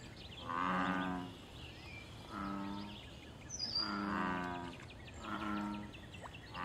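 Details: Loud calls of wild American bullfrogs in a pond, linked to mating, territory and fights. Four deep, twangy, humming croaks, each about a second long, come roughly every one and a half seconds, with faint bird twitters behind.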